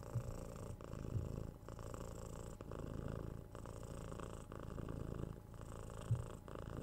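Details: Six-month-old kitten Tora purring contentedly while cuddled and scratched; an even, low vibrating purr with faint breathing breaks every second or so and a few light touches.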